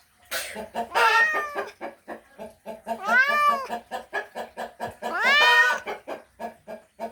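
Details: Male cat mating call for a female: three long rising-and-falling meows over a continuous fast, regular pulsing chatter, like rhythmic clucking, repeating several times a second throughout.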